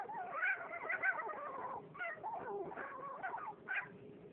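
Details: A female French bulldog whimpers for attention because she wants to play. She gives a run of close, quavering whines and yelps, rising and falling, repeated about every half second.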